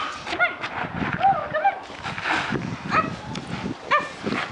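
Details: Scrabble, an eight-week-old Sport Dog puppy (Belgian Malinois, Border Terrier and Border Collie cross) at 57 days, during retrieve and tug play with a jingle ball and fleece tug: short high yelps and squeaky growls between a person's encouraging voice.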